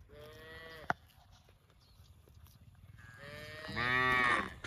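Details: Cow mooing: a short low harmonic moo near the start, then a louder, longer drawn-out moo rising in strength from about three seconds, with a sharp click between them.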